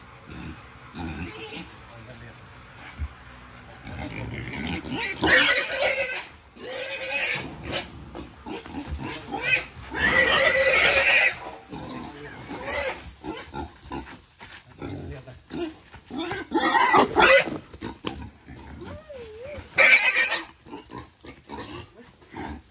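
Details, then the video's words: Captive wild boar, kept 11 months, struggling as a father and son catch it for weighing before sale: repeated loud, rasping squeals and shrieks in irregular bursts, interrupted by short pauses, over people's voices. "Bố con Phát Phat tv bắt lợn rừng"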